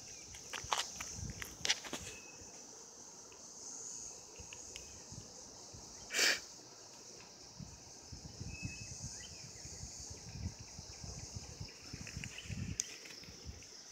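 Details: Mating cicadas in 2016 keep up a constant shrill, even hum from start to finish, broken by a few crisp clicks and one loud brief burst around the middle, over soft low rustling.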